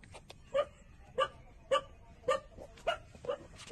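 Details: Puppies 27 days old suckling milk from their mother; short high squeaks with bright overtones come about every half second, six in a row over a faint hiss.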